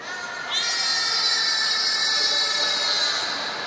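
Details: Training session with belugas Hodoi, Taanya and Mirai at Port of Nagoya Public Aquarium, 14 September 2019: a loud, bright, buzzy, harmonic-rich tone held steady for nearly three seconds, then cut off.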